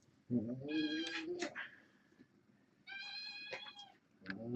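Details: Young kittens, born August 29th, four females and two males, kept indoors and playing near a person replacing a webcam; two drawn-out, harmonic-rich meows about two seconds apart, a third starting at the end, with a low background hum.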